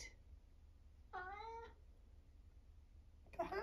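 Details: A short meow from Eric, a talkative 11-year-old semi-long-haired male tabby in Britain, is heard in a quiet room, with a man's voice breaking in just afterwards.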